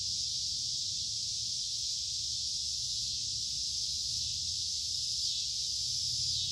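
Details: Steady high whirring of cicadas on a summer day, a constant hiss-like buzz that swells slightly toward the end, over a faint low background hum.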